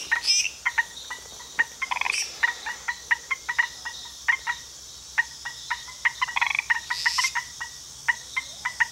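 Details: Frogs in Costa Rica giving sharp, evenly spaced clicking notes, roughly several per second, against a quiet steady hum, with a few louder raspy bursts breaking in.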